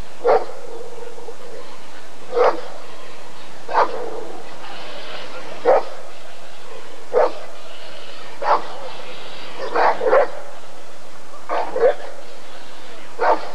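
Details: Deep, forceful single barks from a Rottweiler during a 1994 ADRK Körung, spaced roughly every one to two seconds, some doubled, against a low murmur of people.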